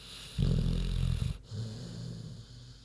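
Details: Sleeping pig Queenie lets out a long, coarse, low-pitched snore of about a second, then a quieter, rumbling exhale.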